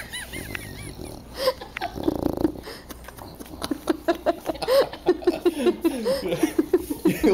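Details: Dog waking to the smell of food makes a rapid string of short, nasal whimpering grunts and snorts, several per second, rising in intensity toward the end.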